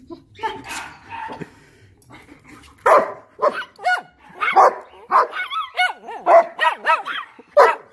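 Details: German Shepherd excited around its puppies, mixed barks, whimpers and rising-falling high yips, with a person's voice near the start.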